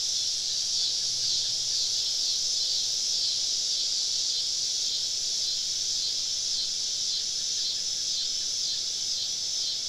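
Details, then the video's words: Southern woodland at summer dusk, cicadas all around a campsite, produce a constant piercing high drone of overlapping insect voices, nearly level throughout, with a brief faint low hum near the start. "Southern Evening Summer Cicada Symphony"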